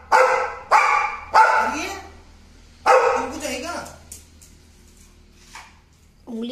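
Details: American Pit Bull Terrier with an American Bully nearby: four loud, harsh barks within the first three seconds, then quiet with faint voices, and people talking around it.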